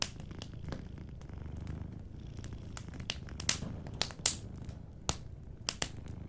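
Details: Sleeping cat purring softly, a steady low rumbling pulse throughout, with sharp crackles and pops from a fireplace scattered across the recording, several loud snaps near the middle.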